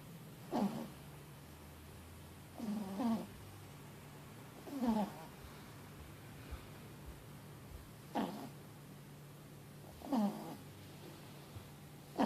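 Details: A four-month-old puppy named Mochi, a Boston Terrier crossed with a French Bulldog, sleeps after a long day and snores noisily. Five rough, wheezy breaths come at slightly uneven intervals, with a constant low background hum.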